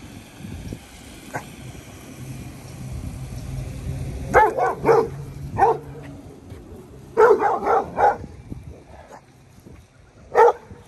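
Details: Dogo Argentino on a walk giving alert barks: short deep barks in bursts, a cluster of three near 4.5 s, another three near 7.5 s and a single bark at the end, with low background rumble.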